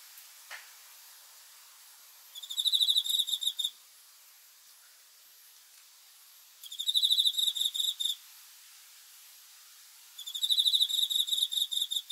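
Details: Cricket chirping in the dark: three bursts of quick, piercing pulse trains about four seconds apart, set against a steady low hiss with one faint click near the start.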